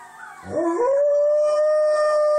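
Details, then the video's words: Alaskan Malamute named Blade, a pet dog, howling along with a wolf chorus playing on TV: a short rough rise settles into one loud, steady, pure held tone. "Malamute joining in with wolves on Tv"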